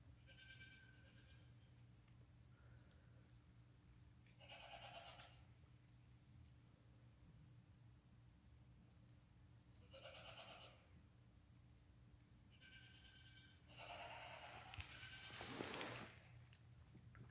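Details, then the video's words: Day-old newborn lambs, less than five hours old, crying beside their mother; bleats with stacked harmonics near 1, 4.8, 10.3 and 13 seconds, then a burst of bleating merging into loud rustling and handling noise around 15 to 16 seconds. "Newborn lambs walking, crying, and nursing with mother"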